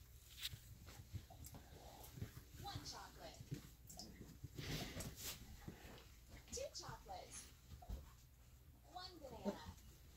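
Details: Playing Alaskan Malamute puppies aged three and a half weeks make a string of thin, bending whimpers and little grumbles, mixed with rustling and bumping movements and a faint background hum.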